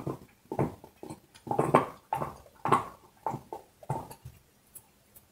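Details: Dog chewing a bone indoors in a small room: a steady run of crunching, gnawing bursts, about one every second, each broad and rough with short quiet gaps between bites.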